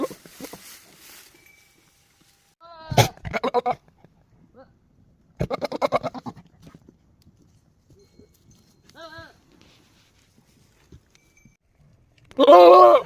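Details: Male goat on a farm, showing playful behaviour; a few harmonic, wavering bleats come in short bursts near three, six and nine seconds, with a loud, rough final bleat at the end and quiet gaps between.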